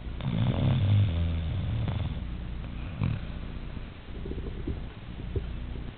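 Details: A sleeping Siberian Husky snores in a human-like way. A loud rattling, throaty snore fills the first two seconds, then a sharp snort, then a softer purring rumble.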